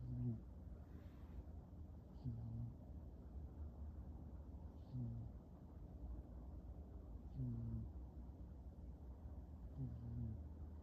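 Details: Oliver the pet cat snoring while asleep on a couch under a blanket: low, rumbling, harmonic snores, five of them, spaced about two and a half seconds apart, over a steady quiet indoor hum.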